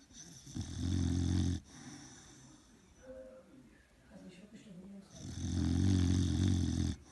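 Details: Old English Bulldog snoring: two long, loud, rumbling low snores about four seconds apart, each lasting around a second or more, with quieter wheezy breathing and faint rustling between them.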